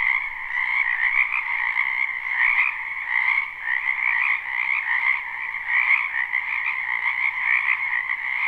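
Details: Many frogs calling together in a wetland in spring, a live recording: a constant, buzzy, overlapping chorus of croaks that gently swells and fades, with a short dip partway through.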